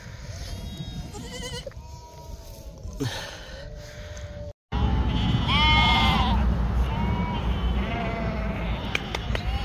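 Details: Bleats of a yearling ewe on a sheep farm in northern Spain. She has just given birth and cannot stand up. After a quieter start with a brief cutout, several rising-then-falling wavering bleats repeat over steady low noise.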